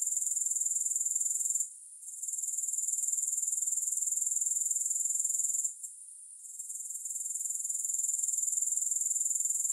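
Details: Grasshoppers in a steady high, hissing trill with rapid pulses about four per second, briefly dropping out twice before resuming; no music or other sounds.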